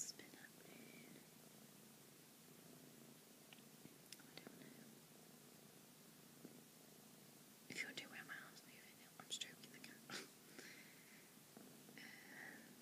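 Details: A female kitten purring softly indoors, a low continuous rumbling texture running through the clip, with quiet whispered speech over it and a burst of louder whispering from about the middle onward.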